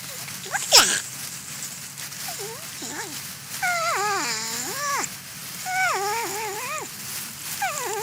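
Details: Porcupine eating corn, giving wavering, whining calls that rise and fall in pitch, some long and bending like a crying baby, in bursts of about a second, with a soft hiss behind.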